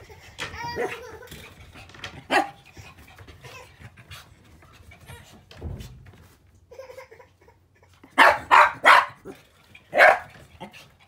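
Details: Puppy filmed on 7 October, with a daughter's voice also loud in the recording; mostly soft background sounds at first, then a cluster of four sharp, loud, high barks near the end and one more a second later.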